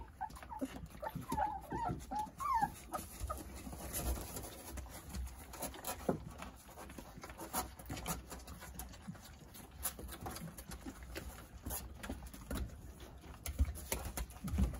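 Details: Jindo puppies, a litter of nine, at play with their mother Sarang nearby. Brief high, wavering whines come in the first three seconds, followed by shuffling, soft thumps and handling noises in a small room.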